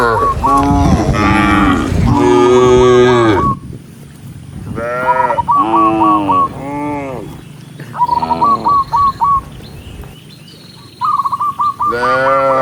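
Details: Many tame cows herded along a forest road. Several hoarse, drawn-out moos cluster at the start, then a quieter stretch with rapid, short, higher repeated notes before another moo rises at the end.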